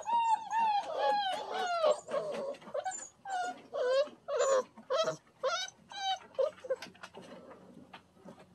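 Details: Standard Poodle puppies, very wet after their first bath, outdoors for the first time in a play pen; a run of high, wavering whimpers and yelps with rising and falling harmonics, several callers overlapping, soft talk faintly behind.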